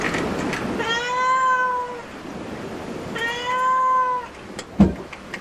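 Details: Two long, steady meows, each about a second, flat and slightly falling with rich harmonics, from a cat at a cat cafe; faint room noise and a brief knock near the end.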